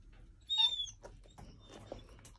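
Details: A 10-month-old female Alaskan Malamute pup gives a high, thin whine, asking her owner to take her for a walk.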